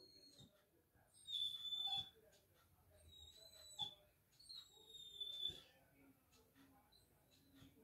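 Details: A Labrador Retriever vocalising back to its owner in a room, giving long, high-pitched whistling whines, some sliding slightly, grouped in three bursts over several seconds, with quiet background hiss.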